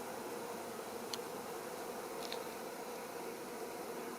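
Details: A continuous low hum comes from a wild honey bee colony nesting in a hollow fir trunk some four metres up. A couple of faint brief ticks sound over the drone.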